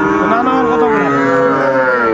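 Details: Sahiwal bull calves for sale at Ambari market in Dinajpur, Bangladesh, on 20 January 2025. A long, steady, rich moo lasts about two seconds while traders bargain in Bengali around it.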